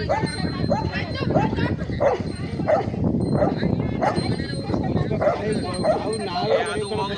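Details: Rottweiler barking repeatedly during a fight with a cobra that bit its mouth; short barks about every two-thirds of a second over steady background noise and people talking.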